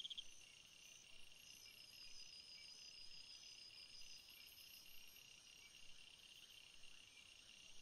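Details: Night chorus of crickets, a continuous shimmering blend of high-pitched trills held at an even level throughout, with faint rhythmic pulses and no other clear sounds.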